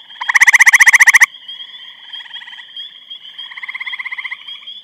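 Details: In Eastham, Massachusetts, 23 May 2012, a grey treefrog gives a loud pulsed trill about one second long, followed by softer trills from more distant frogs over a constant high-pitched background drone.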